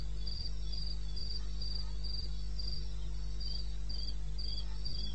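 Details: Rapid, high-pitched pulses from a cricket in the eastern Botswana bush, 21 May 2016 at 2:30 am, evenly spaced with one brief pause, set against a low humming drone.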